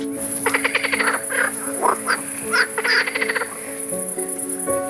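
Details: Green frogs in full chorus on a night-time zoo plain at Zoo de la Flèche in France, colonisers of naturalised ponds: several overlapping quick rattling croak series, pulsed and harsh, with a constant tonal hum and hiss behind.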